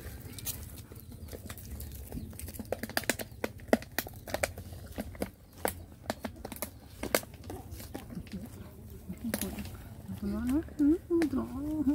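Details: Rottweiler puppies play fighting, with sharp scuffling clicks and taps throughout, then a run of wavering, whiny yelps with clear harmonics near the end over a low steady hum.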